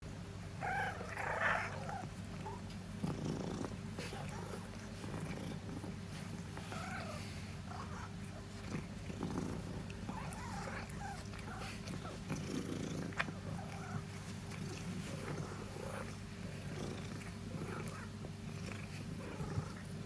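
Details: Long-haired black female domestic cat, born 2017, just home from the vet and seemingly happy; steady low rumbling purr throughout, broken by a few brief higher chirping trills near the start and scattered soft murmurs.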